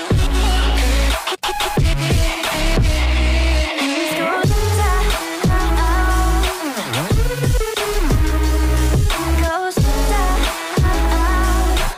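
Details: Loud electronic dubstep music with heavy bass and wobbling synth lines fills the whole stretch, with no animal sound heard.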